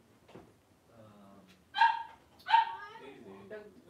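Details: Five three-week-old blenheim Cavalier King Charles Spaniel puppies play-wrestling indoors in a puppy pen; two loud squealing yips about three-quarters of a second apart, surrounded by soft whimpers and low grumbles.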